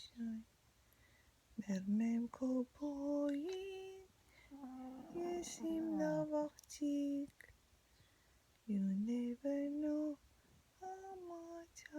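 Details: A woman sings a soft, lullaby-like melody in short phrases separated by pauses, with no animal sound heard.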